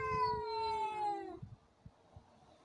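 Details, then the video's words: Cats in a fight: a single steady, slightly falling harmonic yowl lasting over a second, then fading to quiet with a few soft thuds. "Драка котов"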